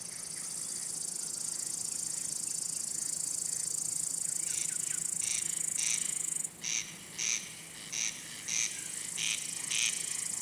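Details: Singing male crickets, whose wing-rubbing sound attracts and courts females or warns off other males; a high continuous trill gives way to short bright chirps repeated about every half second.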